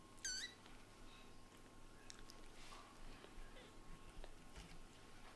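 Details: Kitten Latte, a white-and-brown short-haired eldest son, frustrated when his mother Lulu, a blue tabby Scottish Fold, ignores him after coming home; one short, high, harmonic-rich meow early on, then quiet indoor room hum with faint clicks.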